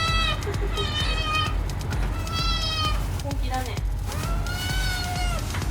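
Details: Kitten crying for its meal, several drawn-out meows, some rising then falling, spaced over a few seconds against a constant low background hum.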